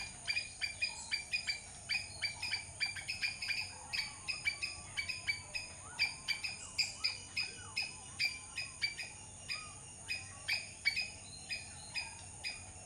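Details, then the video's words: Squirrel chattering with sharp, clipped chips that come fast at first and then slow to about two a second, with faint low whistling sounds in the background. "squirrel sound"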